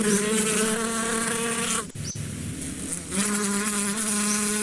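A bee's steady wingbeat buzz, a low drone with rich overtones, fading briefly before returning.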